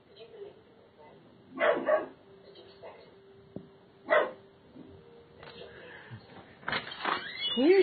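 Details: Twelve-week-old Doberman Pinscher puppy giving its first territorial guard barks: short sharp yaps spaced a couple of seconds apart, then a busier burst near the end, with a person talking and praising the puppy.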